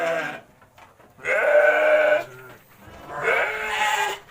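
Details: Garut sheep at feeding time in Kampung Bentengur, a rural village in Garut, Indonesia; two loud drawn-out nasal bleats about a second long, separated by a short pause.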